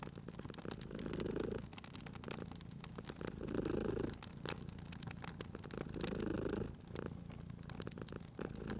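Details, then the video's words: Cute cat asleep by a crackling fire, purring in a low steady rumble that swells on each breath roughly every two and a half seconds, accompanied by intermittent sharp crackles from the fireplace. "Cute Purring Cat at a Crackling Fireplace"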